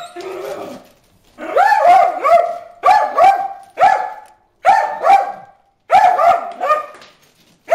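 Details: Bruce, a dog, barks at fish in the water hole: six bursts of high, yelping barks, each burst holding two or three quick yelps, separated by short silent gaps about every second.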